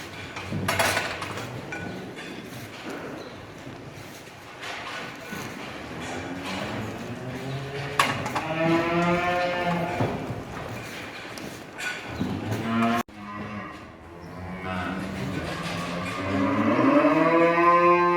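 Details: Danish Red cattle, pregnant purebred heifers kept for breeding on a farm in Turkey, lowing in long drawn-out moos with rich harmonics. The moos overlap in the second half, and clatter and shuffling are heard early on.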